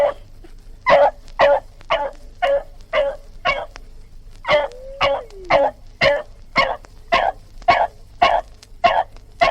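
A dog barks in a steady run of sharp, rough woofs, about two each second.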